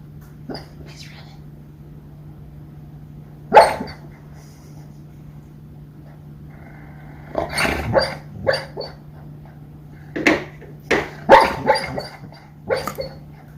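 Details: Female dog dreaming in her sleep, making funny noises: short muffled woofs and huffy yips in scattered bursts, a single one early and then clustered runs toward the end, over a steady low indoor hum.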